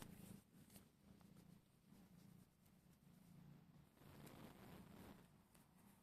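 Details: Lemon the cat, happy to see you, indoors in a small room: a soft, low, steady rumbling purr that pulses gently with each breath throughout, with faint rustles and clicks close by.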